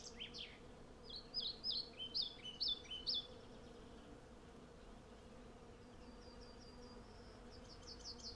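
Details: Hundreds of western honey bees collecting honey from a blossoming cherry tree, recorded on a Sennheiser MKH 8040 stereo pair with a Zoom F6. A steady low droning hum runs throughout, overlaid by bursts of quick chirping birdsong early on and thin high whistles later.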